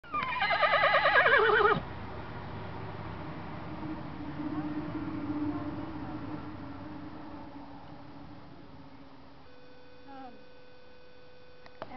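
A horse gives a loud, quavering whinny that wavers and falls, then quiet with a faint hum.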